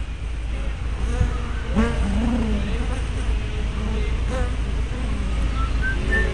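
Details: Hive entrance of honey bees, filmed 24 May 2012 with a spy cam and 180-degree fisheye lens: a steady low hum, overlaid by bees flying close past with rising and falling buzzy tones.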